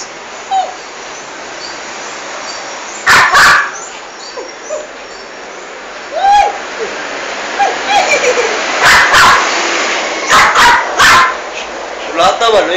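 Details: Toy poodle, a female, attacking a large rat in a bathroom. Scattered sharp barks and faint high whimpers come over a steady hiss, with barks bunched between nine and eleven seconds.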